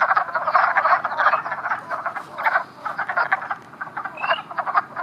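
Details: Wood frogs at a breeding aggregation, where a fawn-coloured brown female is clasped by several males in amplexus. A dense chorus of rapid, clucking croaks overlaps throughout in bursts with brief lulls, and a faint rising whistle sounds near the end.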